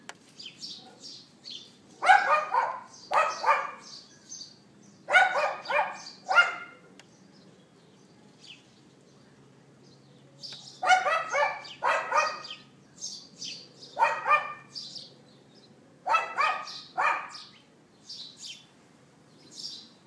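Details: Neighbour's dog outdoors, recorded on an iPhone 4S at 11:31 AM on April 18, 2012: harsh, harmonic barks in clustered bursts of two or three, separated by quiet gaps, while small birds chirp high and thin in the background.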